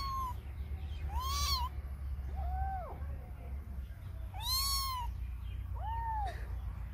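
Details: Cats and kittens giving drawn-out meows, two longer calls with bright noisy bursts alternating with softer, lower, bent meows, over a low steady background drone.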